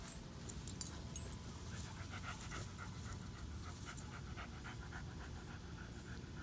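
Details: Boxer and German Shepherd, Odin and Samson, hot and thirsty on a day over 100 degrees in Oklahoma, sharing water; quick rhythmic panting breaths in pulsed bursts over a steady low rumbling background.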